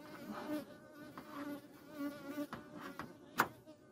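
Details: Hornets, Vespa crabro, swarm a beekeeper's apiary and attack the bee families; a continuous low, even hum of wingbeats with scattered light taps and one sharp click toward the end.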